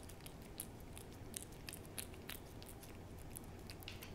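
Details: Cat named Hodu eating a Churu treat, close up: rapid soft licking and smacking clicks, several each second, fairly even in rhythm, against a low background hum.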